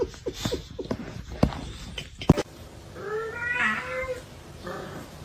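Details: Domestic cat indoors giving a drawn-out, wavering meow that rises and then falls, following a stretch of scattered taps and knocks, with a softer trailing meow afterwards.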